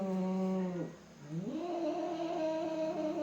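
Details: During a cat fight, a deep, steady growling moan breaks off and dips, then resumes as a rising, wavering yowl that holds through the rest.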